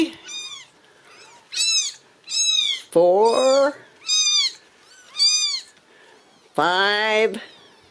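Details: Ragdoll kittens raised uncaged in a home cattery in central Kansas: a run of high, thin mews about every second, some overlapping, broken by two louder, lower, drawn-out meows; a person's voice counts quietly nearby.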